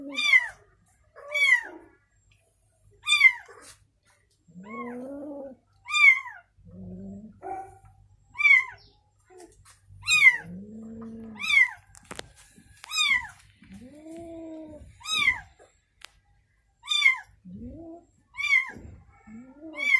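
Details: Indoors, a mother cat stays beside her newborn kitten. Steady high-pitched mews repeat every second or two, with deeper, drawn-out calls that swoop up and down between them.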